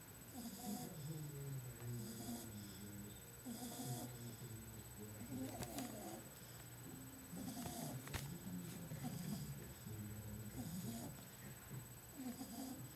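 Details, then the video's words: Two-month-old female bulldog puppy in Porto Alegre, sleeping and snoring loudly, like a tractor. Low, rough, rattling snores repeat steadily through the clip, with faint higher hiss bursts and a few soft clicks. "bulldog fêmea 2 meses roncando que nem um trator"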